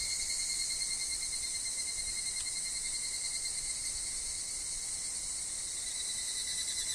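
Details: Woodland higurashi chorus with wind and dropping leaves: a constant bright, high-pitched shrill with fine rapid pulsing and a thin sustained lower note, one soft tick near the middle.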